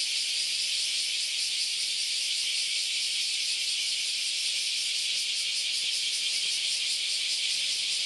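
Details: Cicadas in great numbers on the Philosophy Path, Kyoto, Japan, on an August Sunday morning, filling the air with a continuous shrill buzzing wall of sound that holds steady throughout.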